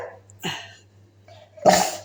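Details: Pet Labrador retriever indoors giving two short, harsh, broadband barks or huffs about a second apart, the second louder and longer, over a low steady hum in a small room.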